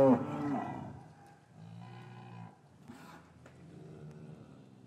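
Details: English farm cattle yard on a winter afternoon after calves were separated from their mothers; a short moo opens, then fades into soft low lowing and faint yard noise.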